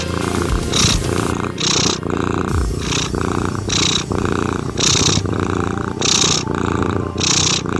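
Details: Cat purr pulsing at regular breath intervals, about one surge per second, rough and rasping with airy upper texture, blended with continuous gentle ambient music underneath.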